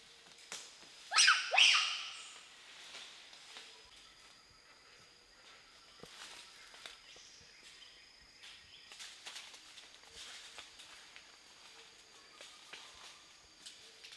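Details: Wild bonobos followed by trackers of the NGO Mbou-Mon-Tour in the Bateke Nord chiefdom, western DR Congo: two loud, shrill, harmonic calls close together near the start, then quieter forest ambience with faint repeated tonal calls and rustling.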